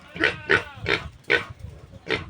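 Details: Domestic piglets of a new sow, being weaned after roaming loose for a month and hard to catch; five short, harsh, nasal squeals in quick succession, roughly every 0.4 seconds.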